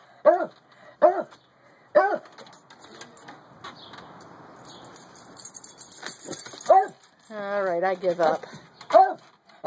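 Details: Beagle outside asking to come into the house, alongside a beagle and coonhound mix: a few sharp baying barks, a quieter gap with faint hiss, then a quavering, wobbling howl followed by more barks.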